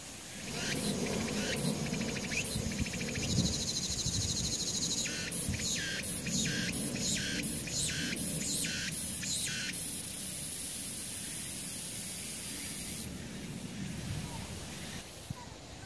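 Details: In mid-August on a summer mountainside among kudzu and harlequin glorybower flowers, cicadas buzz in broad, pulsing bursts of high, hissing song over a low background rumble.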